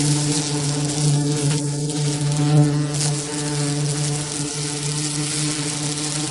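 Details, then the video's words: Low, even buzzing of a bee, a constant droning hum with strong overtones, briefly louder just past the midpoint, otherwise unbroken. "Real bee buzzing sound"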